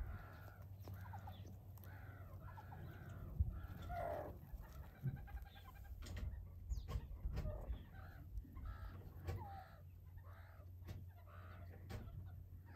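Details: Meerkat youngsters at play, wrestling and chasing each other in a game of tag. Their brief harmonic squawks overlap one another, broken by sharp clicks and thuds, above a constant low hum.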